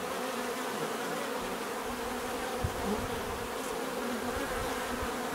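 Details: Continuous natural buzzing of a crowd of bees, a busy rough hum with small swells, plus a couple of faint low thumps and one brief high click.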